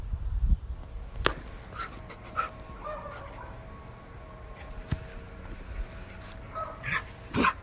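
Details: An excited Siberian Husky gives drawn-out, wavering whines and short vocal bursts, asking to play.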